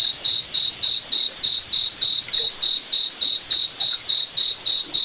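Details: Crickets chirping at night in a moonlit forest: a steady train of high, clean pulsed chirps, about seventeen in five seconds, evenly spaced over a quiet background.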